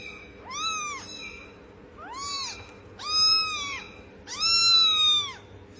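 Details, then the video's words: Sweet kittens calling in a series of four bright, arching meows. Each rises and then falls, and the calls grow louder and longer toward the end, separated by short pauses over a soft steady background hum. "Sound of sweet Kittens"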